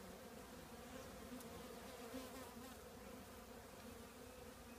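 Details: Continuous low hum from a honey bee colony nesting in an old trash can, many bees droning together at a steady pitch with brief louder swells as individuals pass close.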